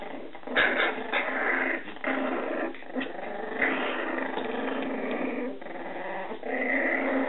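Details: Scottish Terrier puppies from Etna's litter indoors, making a rough, continuous growling with brief high squeaks over about seven seconds.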